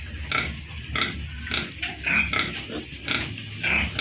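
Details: Piglets at a pig farm give repeated high, shrill squeals and grunting cries at irregular intervals, with a constant low mechanical hum underneath.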